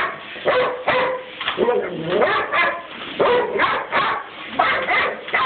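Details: A Weimaraner, which has a love-hate relationship with the vacuum cleaner, fights the hoover, giving repeated harsh barks and yelping, drawn-out whines against a noisy background.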